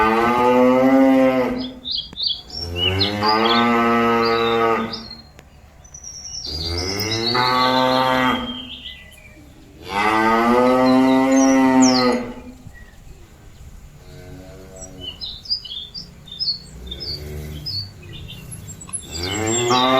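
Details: Cattle calling their companions back to the pen: a series of long, loud moos, roughly every three to four seconds at first, then softer lowing, with frequent bird chirps and tweets in the background.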